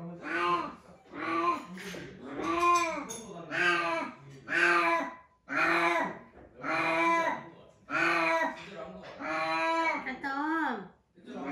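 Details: Atom, a small-bodied cat who has held the boss-cat position, gives a steady series of drawn-out, rising-then-falling meows, about one every second, each rich and harmonic, in a small indoor room.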